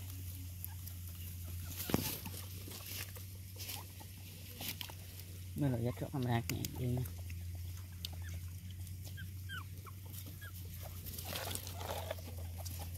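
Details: Mother dog with puppies; a brief cluster of wavering, harmonic whining cries rises and falls near the middle, amid Vietnamese speech, scattered clicks and knocks, and a steady low hum throughout.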